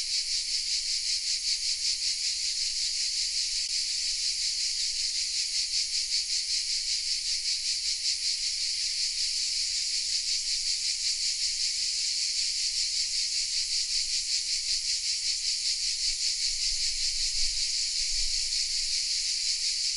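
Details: Chorus of cicadas hidden in the oaks of Vézénobres, southern France, captured on a Sony RX10 M3: unbroken shrill buzzing, evenly pulsed about two to three times a second, filling the upper range for twenty seconds.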